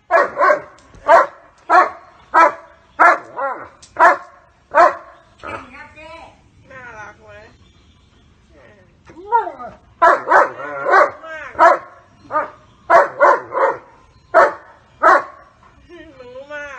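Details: German Shepherd dog barking at a person who pretends to hit its owner, protecting the owner from attack; loud rough barks in quick bursts, roughly one every half second, with a pause and whines midway, then barking resumes.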